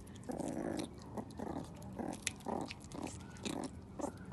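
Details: A male meerkat eating a snack as enrichment gives low, gruff, rasping growls in short pulses, about two a second, over wet chewing and crunching.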